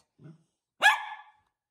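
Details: Miniature Poodle, a pet dog, playing games with its owners; a quiet low sound, then one sharp bright bark lasting about half a second, right after spoken commands of "sit".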